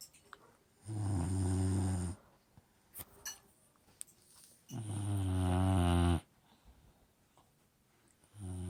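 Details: An Old English Bulldog snores in long, low, rattling breaths while asleep, each lasting over a second.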